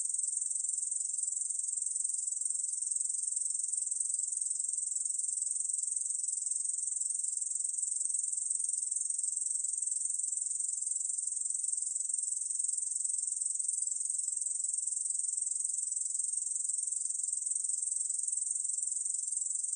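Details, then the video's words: Korean bush cricket singing, recorded in 2020 by the National Institute of Biological Resources; a long, even, high buzzing drone runs the full length with constant intensity and nothing else audible. "중베짱이, 여러번 듣기, 곤충소리"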